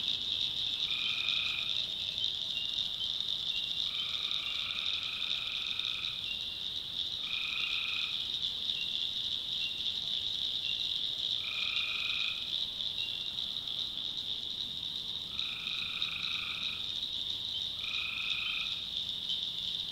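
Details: Tree frogs at night in the North Carolina backwoods: brief tonal calls, each roughly half a second to two seconds, repeat six or seven times at irregular intervals of a few seconds over a continuous high, buzzing chorus.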